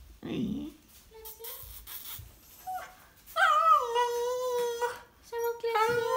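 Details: Indoors, a 'talking' Prince Charles spaniel utters a long, wavering, nasal whine that dips and levels off, then a second rising whimper. Human speech and small handling noises are heard just before.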